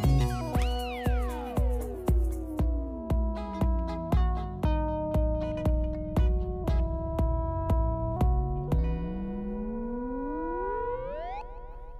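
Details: Plucked guitar-like notes repeat at a steady beat, and synthesizer tones sweep down and then back up, with no animal sound.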